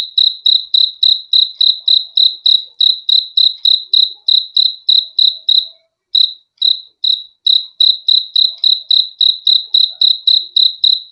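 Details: Cricket song for relaxation and sleep: rapid high chirps in a steady series, briefly stuttering and pausing near the middle before resuming the even pulsing rhythm, with a quiet background.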